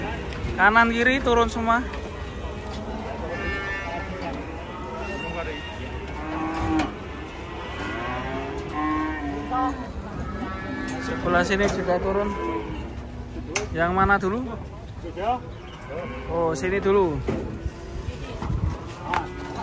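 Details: Herd of cattle coming down off a truck, one of them agitated, lowing almost continuously: overlapping deep moos, each a long wavering bellow, sometimes breaking higher, with faint human voices behind.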